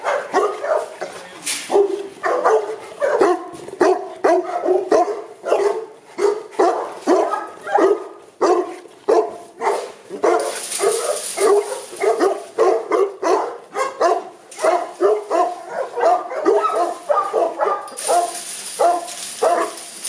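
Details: Boerboels in an Accra kennel barking continuously for twenty seconds, with rapid harmonic barks tumbling over one another and short bursts of hiss in the background.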